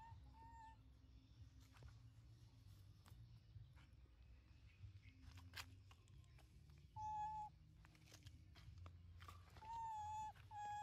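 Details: Linda, a tiny baby monkey kept in a family home, shouting angrily and loudly to call mom to stop working hard: short high whistled squeals, some held flat and some bending down, coming in scattered bursts over a low steady household hum.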